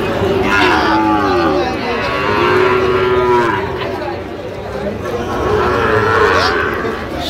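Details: At a haat cattle market where a Dhaka farmer buys a Sahiwal bull calf, 3 October: two sustained, droning moos, each lasting about two seconds, with a brief quieter gap between and a murmuring crowd behind.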